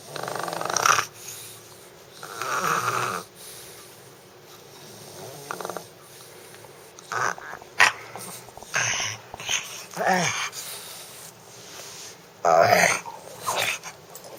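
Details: Justice the dog producing a weird, cute noise: raspy snore-like wheezes and snorts in uneven bursts, some drawn out for about a second, others short and choppy, separated by quiet breathing.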